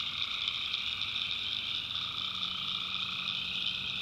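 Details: Many tree frogs trilling together after dark in a North Carolina swamp, a constant, even, high-pitched chorus with layered bands of calls and a soft low hum underneath.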